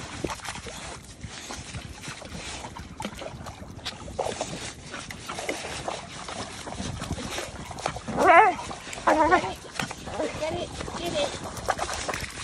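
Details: A blue Staffordshire Bull Terrier, unhappy that water is flowing into the hole it is digging, gives a couple of brief, wavering whining yelps of displeasure over splashing water.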